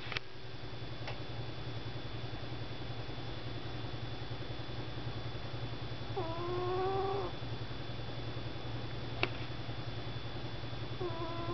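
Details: Sugar, a pet cat, asleep on a desk and snoring: two whistling, rising nasal snores with harmonics, near the middle and at the end, over a steady low hum and a few faint clicks.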